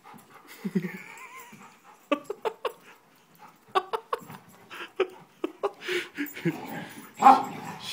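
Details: Play fight between an elder basset mix and a young golden retriever: sharp, clipped yips and short barks in quick bursts, mixed with low grumbles, a whine and a person's encouraging voice.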